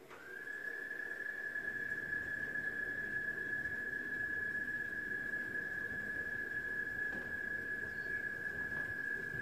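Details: An American toad sings in a habitat pond at a nature center, a long, steady, musical trill holding one high pitch without a break, picked up by a parabolic microphone.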